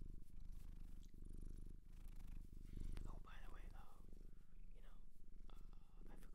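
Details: Cat from a Japanese shelter purring in an ASMR recording, a heavy low rumbling purr carrying on steadily while a person speaks softly over it in the middle part.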